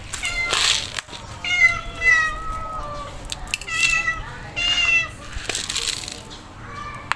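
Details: Hungry stray calico cat meowing insistently: about five drawn-out, harmonic-rich meows over seven seconds, each rising then sliding down, some short and clipped, others long and wavering, with faint rustling between calls.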